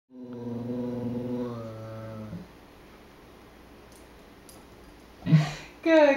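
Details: Ellie, a female Great Dane, moans and sings along with her owner, giving a long, low, droning moan that holds steady for about two seconds.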